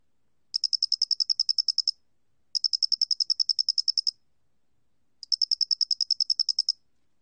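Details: Flat-faced cricket singing in three clear bursts, each a fast train of roughly fifteen shrill, high-pitched pulses lasting over a second, spaced by silent gaps; recorded by Korea's National Institute of Biological Resources, 2020.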